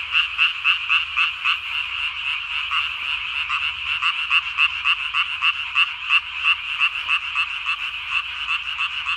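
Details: Japanese tree frog calling at night on 3 May 2020, its vocal sac under the chin inflated to nearly the size of its body; dense, fast, buzzy pulsed notes repeated steadily, several per second, in a continuous chorus.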